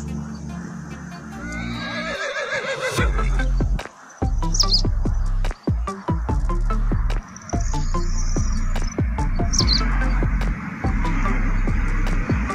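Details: Horse whinny: a quavering, shaky neigh that slides downward over about two seconds, followed by steady rhythmic music with plucked beats that continues to the end.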